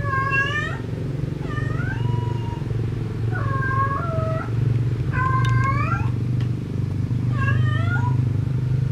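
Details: Cat in love looking for a partner: five long, nasal, bending meows with rich overtones, some sliding down at the end, repeated every one to two seconds over a constant low rumbling hum.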